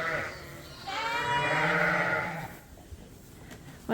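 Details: Suffolk lambs running together in a barn after their groups mixed; one sustained, even bleat of about a second and a half, then quieter barn sounds and a brief voice.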